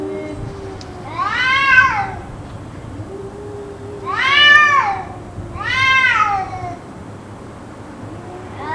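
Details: Cat crying on and on, a session said to last about two hours; three drawn-out, rising-then-falling wails about two seconds apart, each rich in harmonics, with a low steady hum beneath.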